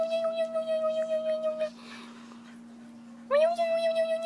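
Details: A French Bulldog pup, amused by funny sounds its owner makes, gives long, steady, high whining tones that pulse rapidly, with a pause between them.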